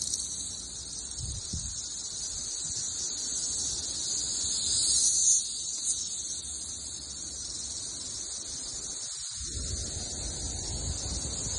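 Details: Missouri backyard in summer 2024 with cicadas everywhere in the thousands, many clustered on one tree; an unbroken shrill buzzing chorus holds steady throughout, with slight swells and low rustling handling noise.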